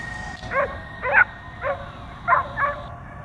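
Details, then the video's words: A dog, agitated by a drone flying around above it, lets out five loud, clipped barks at irregular intervals, while a thin steady whine hangs in the background and then cuts off. "DOG BARKING AND JUMPING AT DRONE"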